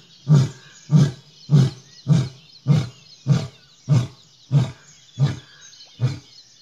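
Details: Deep grunting roar bouts from an Asiatic lion on a road just outside the jungle at Gir National Park, India, ten low pulses evenly spaced roughly every 0.6 seconds, steady insect hum in the background.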